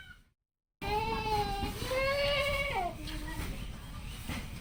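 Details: Goat kept on a small farm on a char, a sandbank of the Padma River in rural Bangladesh, giving one long, quavering, wavering bleat of about two seconds that bends downward at the end, then a shorter, lower bleat, over faint outdoor hiss.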